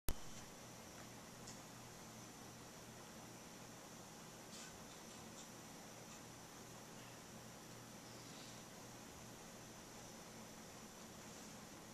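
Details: Quiet indoor room tone with a steady low hum and faint rustles; no animal calls are heard.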